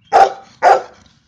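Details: Golden retriever giving two quick, loud barks in close succession, each short and slightly hoarse, in an otherwise quiet room.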